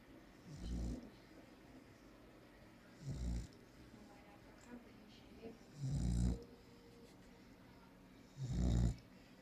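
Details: Sleeping female American Staffordshire Terrier snoring heavily: four deep, rumbling breaths spaced roughly every two and a half to three seconds, each a short low burst, with quiet pauses between.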